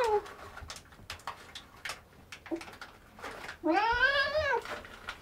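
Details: Cat indoors eating dry cheese-flavoured kibble, with crunching clicks, then a drawn-out wavering meow near the end.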